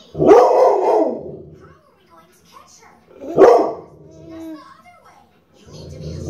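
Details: Cooper, a dog, barking and growling: two loud, sharp barks about three seconds apart, each trailing into a softer tonal tail, with a quieter rough sound at the end and faint voice-like sounds between.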